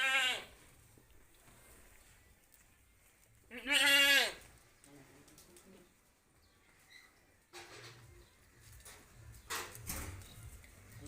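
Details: Sirohi goats at a goat farm, a short bleat at the start, then a loud quavering bleat near four seconds, with faint further bleats and rustling later.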